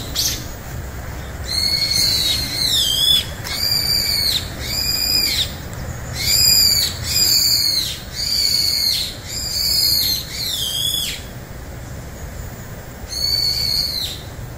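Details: Rapid run of loud, high, bowed meows, sometimes doubled, from a house cat and a stray cat, Juhwang-i and Norang-i, finally put in one room together, then a pause and one last meow.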